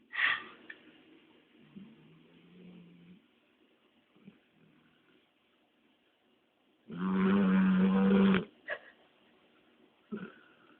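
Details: Labrador Retriever named Dexter snoring indoors after a long walk; one long, loud rasping snore with a low droning buzz, followed by quieter soft breaths and brief snorts.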